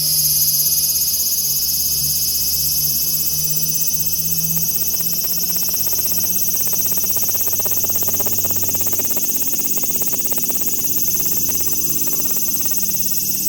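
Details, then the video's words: Large brown cicada calling: a steady, sizzling high-pitched buzz that fills the whole recording with a fine pulsing texture, over faint low rumbling background noise. "유지매미 울음소리"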